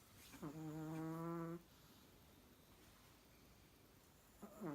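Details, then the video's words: A Chihuahua snoring: a steady, nasal, droning tone with many harmonics lasts about a second, then quiet breathing follows, and a second snore begins rising at the very end. "Чихуахуа храпит нереально"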